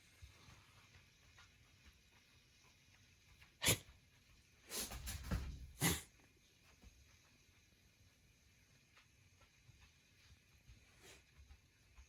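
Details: Kotaro, a male rescued Shiba Inu with pollen allergy, in repeated sneezing fits at home: one sharp burst, then a quick cluster of harsh snorting pulses and another burst, with a fainter snort later over quiet room hum.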